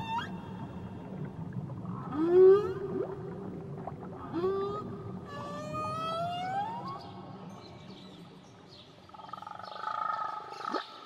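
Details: Whale song recorded in Tahitian waters, a series of swooping upsweeps and rising moans with rich overtones, a buzzy burst in the middle and a wavering tone near the end, against a low ocean hum.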